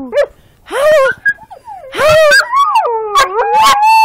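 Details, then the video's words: Border collies howling while playing in a backyard, a person having just urged them to howl; wavering, sliding tones rise and fall in short bursts with yips, and a voice praises the dogs. "Border collies playing & howling"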